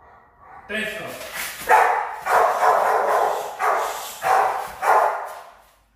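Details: Young Rottweilers being trained as high-performance guard dogs give a quick run of loud, rough barks, nearly two per second, that fade out at the end. A human voice is heard alongside.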